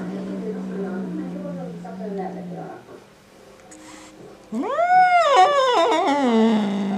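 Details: Male house cat indoors, angry at a black cat resting outside: a steady low growl, a short lull, then a loud arching yowl that rises, holds and sinks back into a rumbling growl.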